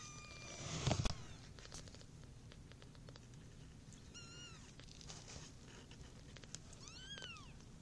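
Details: Four kittens, born on August 14th 2013, purr for the first time with a low, steady rumble, broken by a few thin, rising mews.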